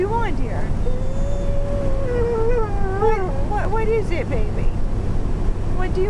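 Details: Zeenah, a female dog wanting her bone, 'speaks' in a motorhome with a long, level, howl-like tone that slides and wobbles, then shorter yelping inflections, all above a continuous low engine drone and owner's speech.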